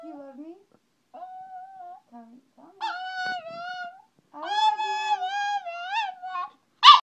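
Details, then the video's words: Chihuahua 'talking' to its owner, as if saying I love you: short whines, then longer wavering, moan-like howls that rise and dip in pitch, separated by brief pauses, in a quiet indoor setting. "Chihuahua says I love you momma"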